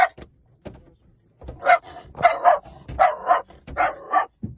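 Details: A dog, described as a puppy, barks in quick uneven bursts, roughly one every second. The bright, harsh yaps cluster in the middle of the clip, separated by short quiet gaps.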